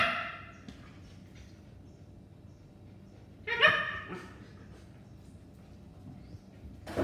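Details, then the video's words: Rex, a Siberian Husky, plays with his best friend Aston Martin, a blue British Shorthair cat, at Hg1 farm. A short harmonic yelp opens the recording, a louder yelping cry follows midway, and a final burst comes at the end over low rumbling background. "Husky v British shorthair"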